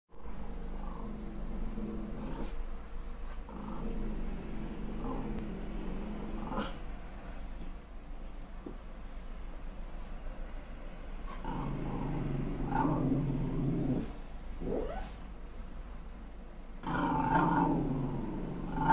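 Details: Malshi puppy, a crossbreed, growling furiously at her reflection in the mirror after a new haircut; low rumbling growls in long stretches broken by pauses, rising into louder, harsher growling near the end.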